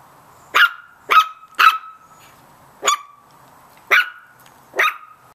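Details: Little Chihuahua puppies give sharp, high-pitched yapping barks in an irregular series, barking at a cat in the yard.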